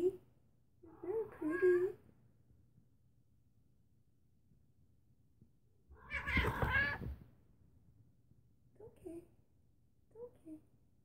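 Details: Rescued female feral cat, taken in during a -29 °C cold spell, venturing out from hiding indoors; two short wavering meows early on, a burst of a woman's soft speech mid-clip, then two brief faint mews near the end.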